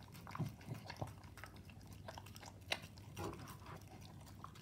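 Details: A Staffordshire Bull Terrier eating raw meat mixed with dog food, chewing and gulping with wet smacks and sharp crunching clicks.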